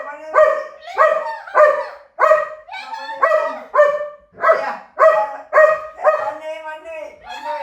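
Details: German Shepherd voicing a rapid series of about ten long, tonal howl-like barks, evenly spaced roughly every three quarters of a second, rich in harmonics, with no other clear sounds.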